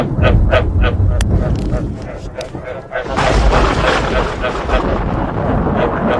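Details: Repeated frog croaks with thunder, played to encourage frogs to breed: a few quick harmonic croaks at the start over a low rumble, then a burst of rain-like hiss and thunder that largely covers the calls.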